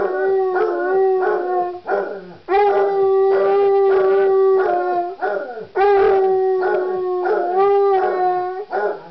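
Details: Two male Basset Hounds bay together in long, mournful howls that waver and break between drawn-out notes.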